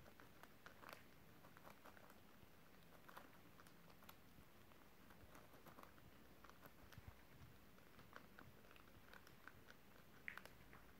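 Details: Several domestic guinea pigs eating beetroot nibbling pieces in a small room on December 30, 2023; steady soft crunching with scattered sharp crisp bites and faint rustling throughout.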